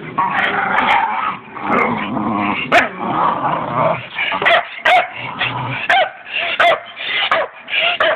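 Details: Staffordshire Bull Terriers playing together: a long stretch of rough growling and grumbling, followed by a run of short sharp barks repeated roughly every half second.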